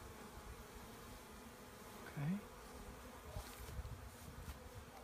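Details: Honey bees of a swarm being gathered, their massed buzzing a constant hum, interrupted midway by a brief human voice and a few handling knocks.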